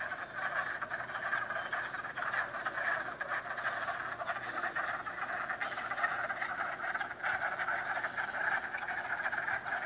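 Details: A thick frog chorus runs unbroken, with countless raspy pulsing croaks layered on top of one another from start to finish.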